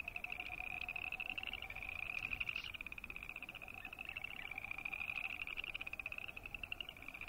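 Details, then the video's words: A chorus of boreal chorus frogs croaking, several overlapping pulsed, rattling trills in a high band, some rising slightly, with a fainter lower pulsed trill beneath and steady background hiss. "Boreal Chorus Frog sound"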